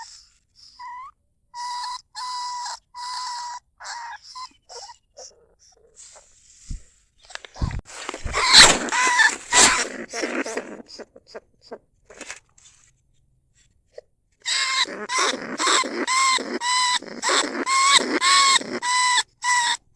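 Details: Recorded live at Na Lao, Nong Khu Phai, a caged lesser bandicoot rat calls to other rats from its trap. A few raspy squeals give way to noisy scuffling and clatter, then a dense run of harsh, rapidly repeated cries.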